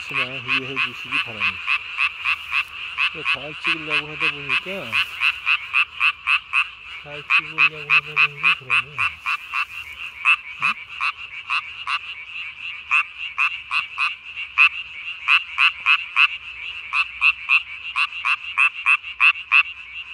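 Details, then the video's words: Tree frog with body-sized inflated throat sac, calling after dark, 3 May 2020: a long run of quick rasping pulses, about three and a half per second, over a dense chorus. Lower, sliding harmonic calls appear during the opening seconds. "밤에 우는 청개구리 울음판이 몸통 만큼 크네요? #청개구리 #울음소리 들어보세요"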